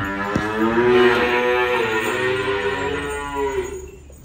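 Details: Cattle being unloaded: one long, loud moo of about three seconds, evenly sustained with many bright harmonics, fading away at the close, with a couple of sharp knocks early on.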